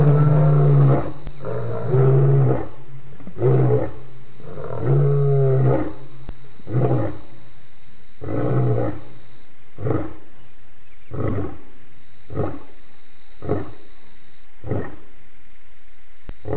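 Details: Lion at Djuma waterhole, 28 October 2016, giving loud roars: low, rumbling grunts repeated in a rhythmic sequence, long at first, then shortening into clipped grunts spaced about a second apart.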